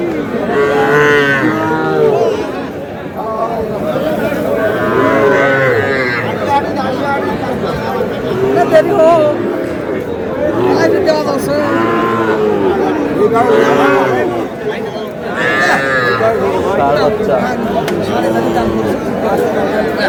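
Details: Cattle, small bull calves about four months old, at a livestock market in Madaripur, Bangladesh, being bought by a farmer; harmonic lowing calls rise and fall repeatedly across the clip amid crowd chatter and voices.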